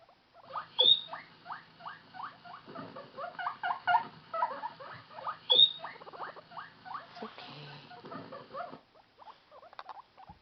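Guinea pig loneliness calls pour out as rapid, squeaky chirps and chattering notes, broken by two shrill rising whistles. The calling thins out toward the end, leaving a few scattered squeaks.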